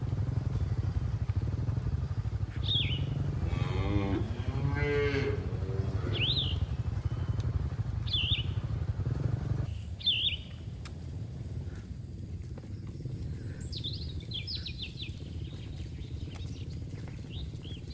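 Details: Cattle from a herd grazing in a green field: a drawn-out, wavering moo rises and falls midway, while short chirping birdsong repeats above and a steady low rumble runs underneath.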